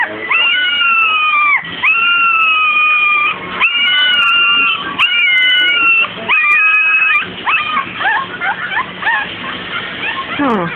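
A young Papillon puppy howls in high, thin, drawn-out notes, then breaks into short rising yelps.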